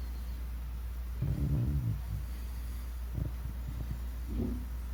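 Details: Snoring of Bunchin, a sleeping 14-year-old Shiba Inu, with a long, low, rattling snore just after one second and quieter, shorter breaths near three and four seconds, over a constant low background hum.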